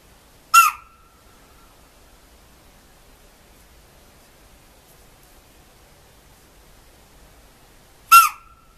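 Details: Spotted deer (chital) alarm call in a forest: two sharp, explosive shrill barks about seven and a half seconds apart, each a brief piercing note with a ringing tail, and near silence between them.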